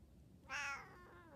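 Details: A 14-year-old female Siamese cat, asking for cheese, gives a single loud, bright, slightly nasal, strained meow that rises sharply and trails off over about half a second.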